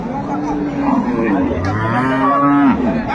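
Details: Cattle at Ambari haat, a cattle market in Dinajpur where improved-breed dairy cows and calves are traded, 25/8/25: drawn-out, steady, tonal lowing, held for most of three seconds with a faint deeper voice beneath, over bargaining voices and crowd chatter.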